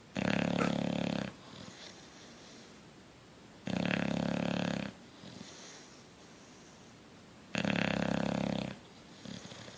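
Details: Sleeping bulldog snoring: three long, rough, harsh breaths about two to four seconds apart, each lasting over a second, with a low buzzing rattle, quiet pauses between them, indoors.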